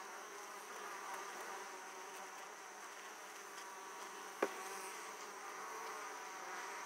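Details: Italian honey bees returning to an opened hive with plenty of pollen; steady, dense wingbeat hum throughout, interrupted once by a sharp click midway.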